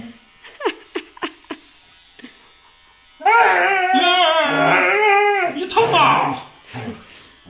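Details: Siberian Husky protesting as it is shaved: after a few short voice sounds, a wavering, quavering howl rises and falls for about two seconds, then breaks into short yelps and whines.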